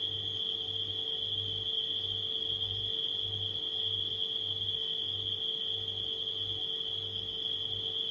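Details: Nighttime crickets blended with a refrigerator's steady hum: a continuous high, shrill cricket trill runs without break over a low pulsing motor drone and a faint mid-pitched hum line.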